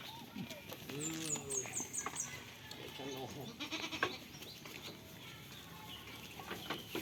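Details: Goat on a farm, playing and eating, giving a wavering, quavering bleat near the start, followed by quieter rustling and clicks, with thin high chirps above.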